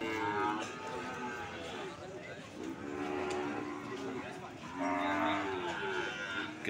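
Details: Low moos from cattle at a market in Sokaraja, Banyumas, one early and a louder drawn-out bellow near the end, set against constant background chatter and market bustle.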